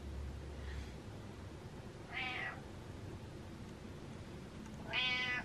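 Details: A pet cat named Butters meows to tell its owner to get up: two clear, drawn-out harmonic meows about three seconds apart, indoors against a low steady hum.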